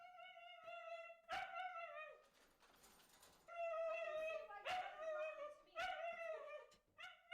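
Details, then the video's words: Female Siberian Husky barking indoors, mouth never fully shut: a run of high, harmonic, slightly falling barks in bursts of about four, with a noisy breathy pause midway and quick repeats toward the end. "if you look closely you can see that Luna never fully shuts her mouth that's because she wants to maximize her barks per minute [Music]"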